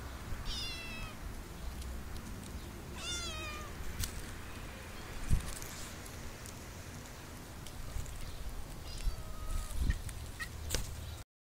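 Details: Cats living in an olive garden in summer give three short, thin meows spaced several seconds apart, each sliding down in pitch, under a steady high insect hum and faint rustling.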